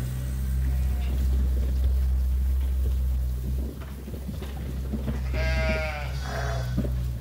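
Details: Sheep at Ewetopia Farms awaiting feed during daily chores. A steady low mechanical hum fills the first seconds, then two quavering bleats follow close together near the end.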